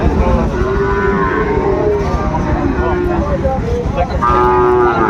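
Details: Sahiwal bull calves being bought and sold at Ambari market, Dinajpur, Bangladesh, 26 September: clear harmonic moos, steady then sliding, several overlapping, with one strong call at the end, over busy market voices.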